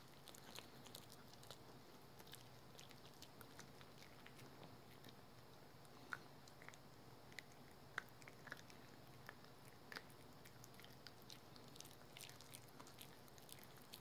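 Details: Household dog Rookie chewing a dental chew in a small room, soft gnawing with sharp crunching clicks recurring roughly every two seconds, some louder bites standing out against a quiet background.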